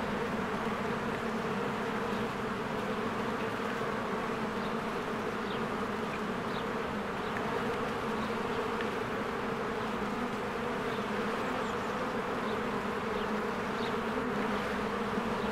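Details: Spring beehive with crowds of honeybees busily coming and going: a thick, unbroken drone of many wings, steady in loudness throughout, with brief passing buzzes and a few soft high bird chirps far off.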